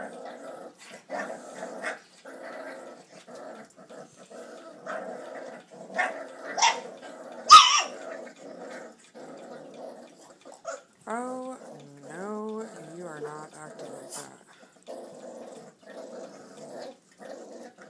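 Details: Four-week-old puppies from the Duchess x Dylan litter, eating chicken indoors: a steady low rumbling growl runs throughout, broken by a few sharp clicks and clatter, then a run of rising and falling whines and yelps near the end.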